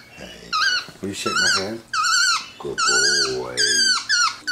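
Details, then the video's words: MonkeyBoo, a pet capuchin monkey making himself comfortable on his leather couch at home, answers a person with loud, shrill, downward-bending chirps in bursts, overlapping a person's talking. "Vocal Monkey On the Couch!"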